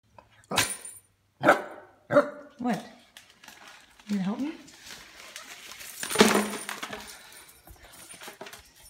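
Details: Miniature dachshund wearing a Christmas elf costume, helping with holiday wrapping paper indoors: several short, sharp yips and barks, each spaced about a second apart, then a rising whine, with people talking nearby.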